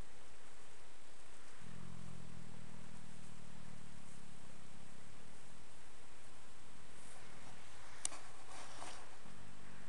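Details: Dream, a 10-year-old registered Fox Trotter horse, hums while napping in old hay piles one afternoon after romping in the yard: low droning harmonic tones in two long stretches with a pause between, over faint rustling.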